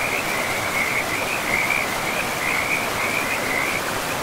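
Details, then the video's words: Frogs calling beside a river in a pristine, moss-covered forest: a steady chorus of short, high trilled croaks repeating in quick bursts at one pitch, over the constant broad rush of flowing water. "River and Frogs sleep sounds"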